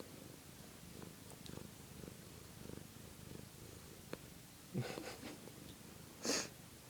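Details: A female pet cat crackles rather than purrs. Rapid, gravelly pulse trains rumble for the first few seconds, then two louder, brief, broader bursts stand out near the end.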